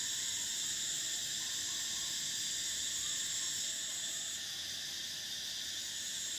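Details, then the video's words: Cicadas singing in summer: a dense, continuous high-pitched buzzing drone with several steady layers, one upper band dropping away after about four seconds, the chorus otherwise unbroken throughout. "Cicadas: the sound of summer"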